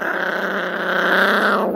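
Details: Toto the dog growling steadily to guard a beef rib, a continuous low rumbling growl that rises slightly in intensity near the end; quiet human voices nearby.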